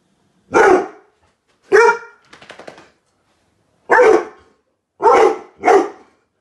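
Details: Weimaraners react to a 12 ft Halloween skeleton prop outside the window with loud, gruff barks in short bursts, with pauses between them.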